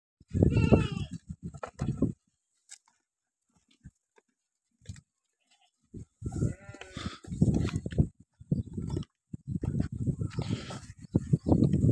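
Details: Beetal goat kids from Solapur district, India, offered for sale: a loud, wavering, harmonic bleat near the start and another a few seconds later, between bursts of low rumbling handling noise and brief silences.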